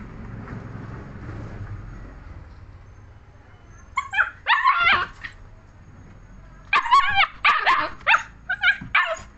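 A German Shepherd puppy gives bursts of high, yappy barks and yips after a quiet start.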